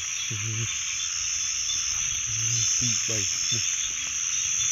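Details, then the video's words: Frogs croaking: short, low, harmonic croaks in small clusters, some quick rattling bursts, all set against a constant high, shrill chorus that fills the background. "frogs 🐸"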